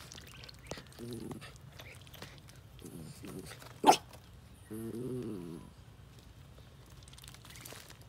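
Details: Jack Russell Terrier in a yard meeting baby ducklings on their first day out: one sharp, loud bark between short, harmonic whining yelps, with faint speech and rustling in the background.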